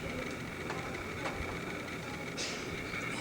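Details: Steady low rumbling room or vehicle noise with faint thin tones and a brief hiss near the end, and no animal call.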